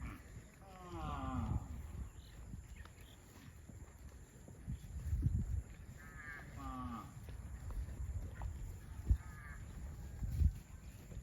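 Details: Cattle heading to a rural field, mooing several times: drawn-out, harmonic calls with falling tails near the start, then a pair of moos around six to seven seconds and another near eight and a half, over steady low rumbling background noise.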